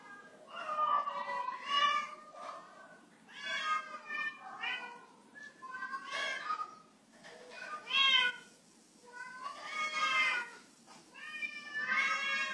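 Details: Cat on a slippery waxed floor meowing repeatedly, about every two seconds, with long, bending, whiny tones rising and falling in pitch, recorded indoors with faint room noise.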